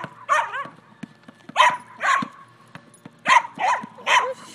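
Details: Barking dachshund playing with a basketball, sharp single barks spaced roughly every half second to second, some paired, with soft thumps in between.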